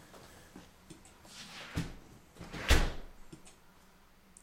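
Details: Quiet indoor room with a few soft knocks and a sharper thump like a door or cupboard closing, over low background hum; no animal voice is heard.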